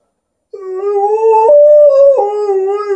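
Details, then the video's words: Alaskan Malamute named Liza, indoors, howling at its owner as if talking: a sustained tonal howl starting near 2.5 s, stepping up in pitch midway, then dropping back and holding steady, with rich harmonics throughout. "Alaskan Malamute having a conversation with the owner"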